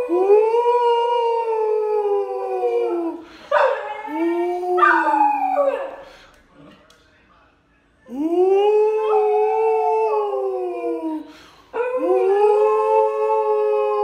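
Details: Pet dog singing with its owner in a human-dog duo: several long wavering howls that bend up and down in pitch, broken by a quiet pause, with human voices joining in between howls.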